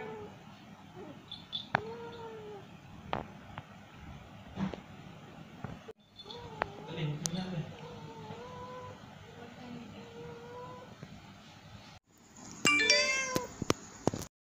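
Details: Female cat in heat yowling to mate, giving wavering, wailing calls that rise and fall. A longer undulating yowl runs through the middle, with a burst of sharper calls near the end. People talk in the background.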